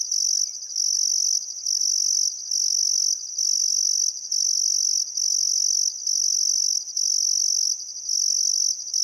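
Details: By a river in Outback Queensland's Welford National Park at summer sunset, crickets keep up a piercing, buzzing trill, pausing briefly about every second in a steady rhythm.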